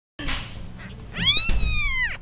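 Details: Kittens meowing: after a brief muffled scuffle, one drawn-out harmonic meow swells in and bends gently down at its end, with faint low room noise beneath.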